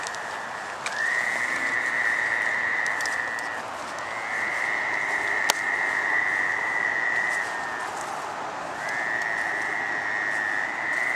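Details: Gray treefrogs (Hyla versicolor) in a drainage swale at North Burial Ground give long, even, musical mating trills of about three seconds each to attract a mate, on the night of May 11, 2013.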